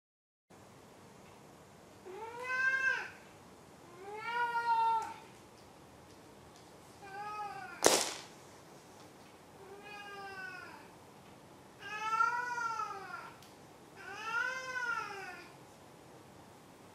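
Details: Domestic cat named Maru meowing indoors: six drawn-out, arched meows with rich harmonics spaced about every two seconds, plus one sharp click-like knock midway through.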